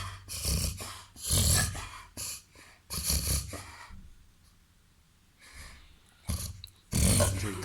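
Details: A 21-month-old, 30 kg Labrador cross mixed with golden retriever and Weimaraner pointer snorts through a reverse-sneezing episode: harsh, broadband rasping bursts in quick clusters, separated by a near-silent pause mid-recording.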